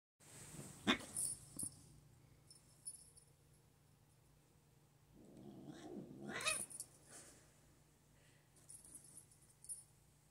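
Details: Domestic cat hissing at its owner, with sharp, breathy bursts near one second and a longer, louder hiss around six seconds, separated by near-silence.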